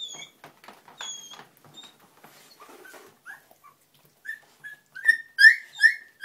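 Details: Springer Spaniel puppies learning to walk; a couple of thin whistled tones and quiet rustles open, then the pups break into loud, rising squeals repeated about twice a second.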